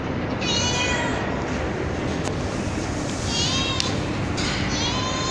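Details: Street cat kittens fed cat food on a terrace after dark, giving three short, thin, high meows spread across the clip, partly buried under a constant broad hiss and low rumble.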